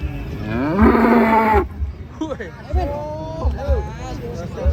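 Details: Cattle at a contest in Banyuwangi, Indonesia, with weighing underway: a single loud, harmonic moo lasting under a second, then people talking nearby against a low background rumble.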